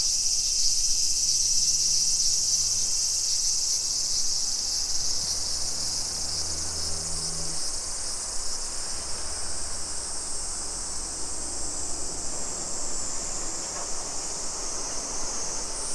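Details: Continuous shrill droning of summer cicadas in residential Nisshin, Aichi, Japan, 2 PM on 28 July 2021. The high buzz stays loud and steady while a low engine-like hum rises and fades beneath it.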